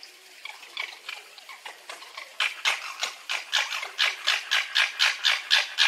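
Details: Fox giving a harsh, rhythmic chatter: rapid broadband pulses, about four per second, quiet at first, then louder and steady from the middle of the clip onward.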